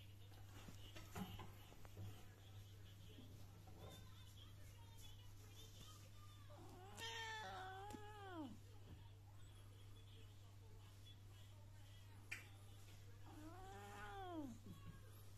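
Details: British Shorthair cat Coco, feisty and not wanting to be touched, gives two drawn-out, complaining meows that rise then fall, one near the middle and one near the end, over a steady low electrical hum with faint background voices.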